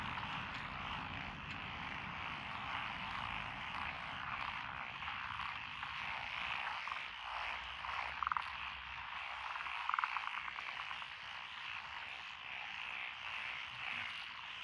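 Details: Frogs calling along a rural road through lotus rice paddies in Echizen, Fukui, Japan, 12 June 2021: a dense, steady chorus of rasping croaks, with a few brief louder notes standing out near the middle.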